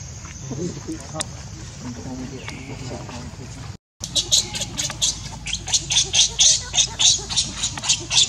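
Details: Baby monkey named Leo crying and begging its mother for milk while hungry; after a short gap, harsh noisy cries repeat rapidly, roughly four per second, in a steady pulsing run.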